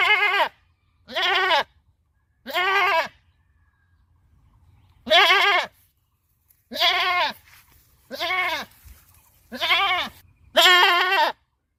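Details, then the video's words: Farm goat bleating repeatedly: eight quavering, tremulous bleats spaced about one to two seconds apart, with a short pause midway and a quiet setting in between. "Goat Bleating Sound"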